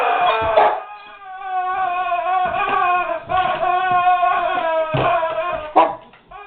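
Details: Whining guard dog faced with a squeaky toy: a continuous, high, nasal whine with strong overtones, rising and falling in pitch, pulsing in short surges with brief breaks.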